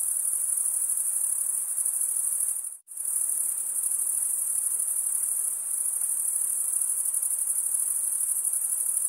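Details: Continuous shrill cricket chirping from males stridulating with their wings, briefly cut off by a short silent gap near the third second before resuming at the same high, even pitch.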